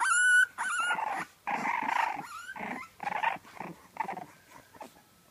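French Bulldog puppies whine and squeal, starting with a thin high whimper and then breaking into rough, grumbling yelps.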